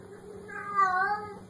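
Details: A domestic cat gives a single drawn-out meow, rising then falling, with a steady low hum underneath in a quiet indoor setting.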